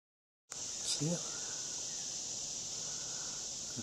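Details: Large cicada found on a porch and poked with a stick, sounding a steady, high, hissing buzz that holds without a break; a child's voice cuts in briefly near the start.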